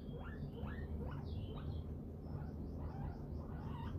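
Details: Pearly, a sleepy pet guinea pig, gives a run of rising squeaky whistles, each sweeping upward in quick succession, then softer, higher chirps, all over a steady low rumble.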